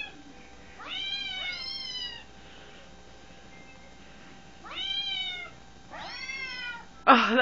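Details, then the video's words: Domestic cat trying to get a cat out of a phone: four high, harmonic meows, each bending down in pitch, in two pairs several seconds apart, then a sudden loud scrape at the end. "The cat trying to get the cat out of the phone"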